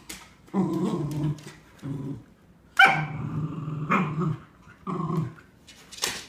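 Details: Two Cardigan Welsh Corgis wrestle over a new toy in a game of tug-of-war. One is three and a quarter years old, the other nearly nine months and larger. Their low growls are broken by sharp yips and short barks, ending in a high yelp.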